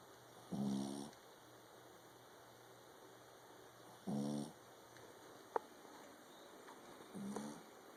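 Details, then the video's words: Three loud, rasping snores from a King Charles Spaniel asleep indoors, low and buzzy, about three seconds apart, with one sharp click between the second and third and a faint steady hum throughout. "Our Dog Snores LOUDLY"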